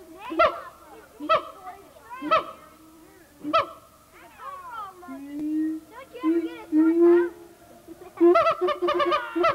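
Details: Siamang gibbon calling at the Memphis Zoo in 1990, old VHS footage; four spaced honking barks, then rising, wavering hoots that climb in pitch, ending in a rapid cluster of loud barks.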